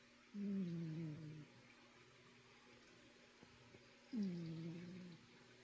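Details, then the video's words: Indoor cat snoring, two low droning snores roughly four seconds apart, each about a second long, dipping in pitch then levelling off, with quiet room tone between breaths. "Kitty Snores"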